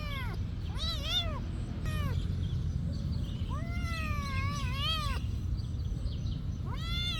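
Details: Several meows from a cat at a monastery, short ones first, then a long wavering, rising-and-falling cry, with constant low-pitched rumbling noise behind.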